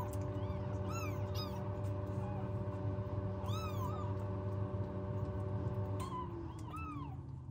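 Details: Newborn rescued kittens without a cat mother, kept in a warming box at home, give about five thin, high mews, each arching up then down, in two loose clusters over a steady low mechanical hum.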